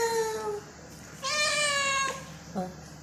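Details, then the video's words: Domestic cat meowing on a farm on a rainy day: a short falling tonal cry, then a longer bright harmonic meow of under a second, and a faint brief third call. "Always meow"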